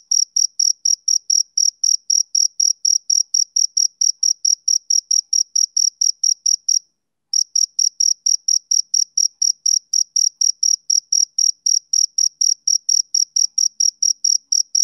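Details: Summer-evening chirping of a male cricket: a rapid, even train of shrill pulses that breaks off briefly midway, then resumes at the same quick pace, with a clean, quiet background.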